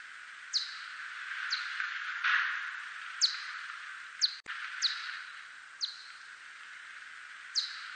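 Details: Whiskered bat, 2020 Korean national biological resources recording: repeated brief downward-swooping chirps, about one each second, some paired closely, set against a steady hissing background and a single sharp click.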